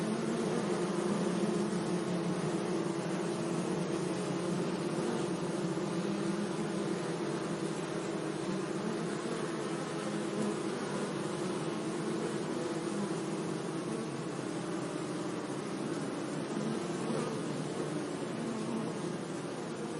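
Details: Continuous buzzing of bees among flowers in a sunny meadow, a low, unbroken droning hum lasting the whole stretch with steady background hiss and no other animals.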